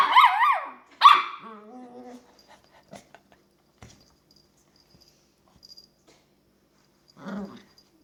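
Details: A long-haired dachshund pup, female, playing alone in her bed makes comical noises: a rising-and-falling whiny howl, then a sharp yelp trailing into a low grumbling growl, a few soft taps, and a brief low grunt later on.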